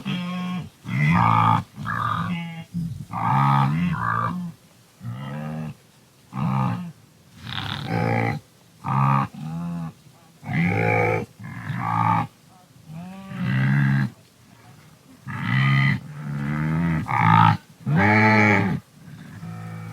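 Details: Wildebeest in an African habitat giving a long series of deep, nasal, grunting calls, each about half a second long, repeated roughly every second with short pauses and some overlapping voices.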